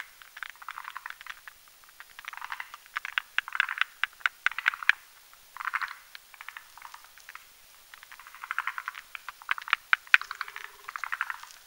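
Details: At night, male and female forest green tree frogs (Zhangixalus arboreus) gather on a branch over a marshy mountain pond to build a foam nest, lay eggs and fertilise them, croaking in dry, clicking, chuckling bursts; forest green tree frog.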